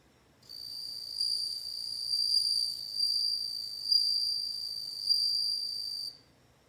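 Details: Bell cricket singing one sustained, bright, high-pitched ringing trill of about five and a half seconds, swelling and fading slightly in loudness, with a quiet background before and after.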